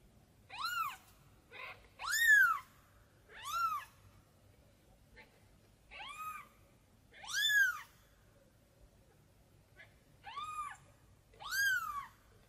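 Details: Kitten calling for its mother cat, repeating loud, clear, rising-then-falling meows roughly every one to two seconds, seven cries in all with a few soft squeaks between, otherwise quiet.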